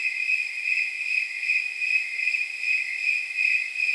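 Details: Night chorus of snowy tree crickets, known as temperature crickets, on an evening reckoned at about 79 degrees: a high, ringing trill with soft pulsing beats blending into a steady shimmer.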